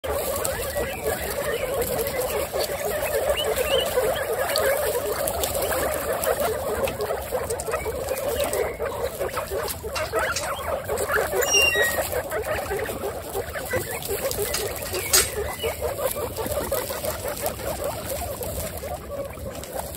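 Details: A herd of 26 female pet guinea pigs making a steady, dense murmur of low chattering and rumbling, broken by occasional short high squeaks that sweep upward, with faint clicks and rustling throughout.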